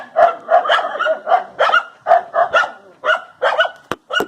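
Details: Dog barking in a rapid run of short, tonal yaps, about two or three per second, ending with a couple of sharp clicks.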